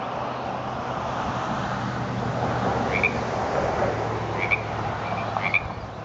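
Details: Frog croaking for the first time that year on 30 January 2014 in Frog Hollow, Paso Nogal Road, Pleasant Hill, California; a few short, bright croaks in the second half over a steady traffic-like rumble.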